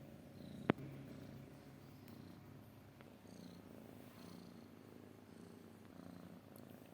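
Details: Cat purring softly, a low, even rumble with gentle rhythmic pulses, broken early by one sharp click, with faint higher chirps in the background.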